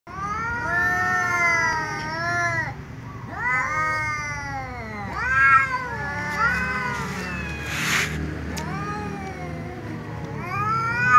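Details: A tom cat and a ginger cat meowing loudly at each other before eating together: long, drawn-out wailing meows that rise and fall, overlapping in near-continuous exchanges, with a brief rustling noise midway.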